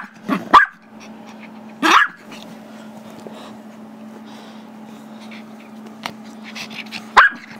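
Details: Chihuahua/Yorkie mix, five years old, barking indoors because it wants a squeaky toy held by a young Yorkie; three sharp yappy barks spaced about two and a half seconds apart over a steady low hum.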